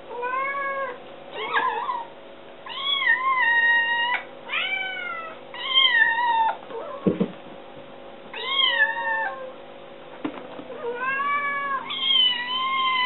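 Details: Young kitten begging for its meal indoors, scrambling up a counter; a run of clear, repeated meows, each rising then dipping, roughly every one to two seconds, with a thud and brief rustling between.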